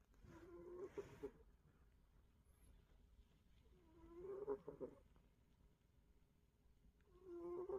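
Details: Cat snoring: three short rasping, nasal snores at roughly three-and-a-half-second intervals, each a buzzy burst with a low droning tone, quiet breathing between.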